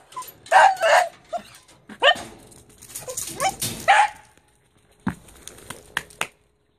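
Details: Overweight Shiba Inu that had been home alone, producing a rapid run of excited barks and whining yelps packed into the first four seconds, then a few brief clipped sounds before falling silent.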